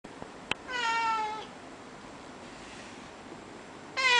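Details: Russian Blue cat indoors, said to be vocal despite a quiet reputation, meowing because it wants to go outside: one drawn-out harmonic meow early, then a second meow beginning at the end, with quiet room background between.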